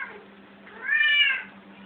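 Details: One drawn-out, arching meow from cats playing indoors swells and then fades within about half a second. It is preceded by a softer, brief mew, and a low steady hum runs beneath.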